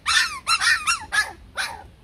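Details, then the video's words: Shaggy Bac Ha dog, a Vietnamese native breed kept at a breeding kennel: five bright, harmonic barks with a yelping edge fall in pitch, closely spaced over two seconds against a quiet background. "Chó Bắc Hà xù VN"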